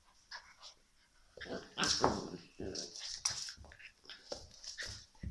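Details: Shiba Inu puppy giving short broadband yelps and whimpering cries in uneven bursts, loudest near the middle, with sharp high squeaky onsets and several brief pauses between clustered calls.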